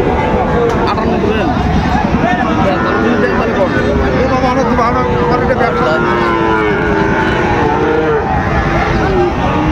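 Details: Sahiwal bull calves at Raniganj cattle market, Dinajpur, on 29 August 2024; low, drawn-out moos rise and fall through steady market chatter, voices haggling over numbers and engine hum.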